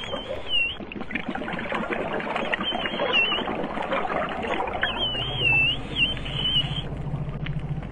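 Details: Dugong, a half-tonne sirenian herbivore, recorded underwater making small chirps: thin, high, wavering whistles in short bursts over hissing, bubbling water noise, with a faint low hum late in the clip.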